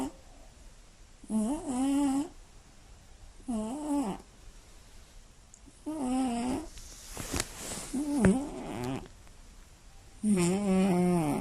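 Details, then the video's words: Sleeping Scottish Fold cat snoring loudly at night: a series of five buzzy, droning, harmonic snores, each about a second long, coming roughly every two seconds, steady in pitch with slight wavering, with faint breathy rustles between them. "猫のいびきが酷過ぎる！眠れない一夜 爆音＆騒音！"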